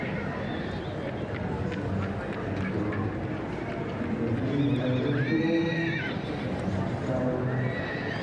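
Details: Welsh mountain ponies, a two-year-old filly and gelding, whinnying in a clear arched call that climbs and falls with stacked overtones, followed by a shorter call near the end. Hoof clops, low rumble and voices are also audible.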